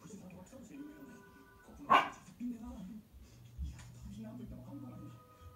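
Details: Pembroke Welsh Corgi Hina, a lively young female born 8 July 2015, going to the neighbouring bedroom to fetch a toy indoors; one sharp, loud bark bursts out midway, with people talking softly and a steady low hum around it.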